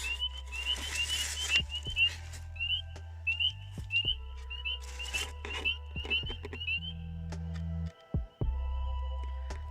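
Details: Spring peepers still chorusing in light mist at an American toad breeding site in Potter County, northern Pennsylvania, where the toads seem to have already bred: short rising whistled peeps overlapping from several frogs.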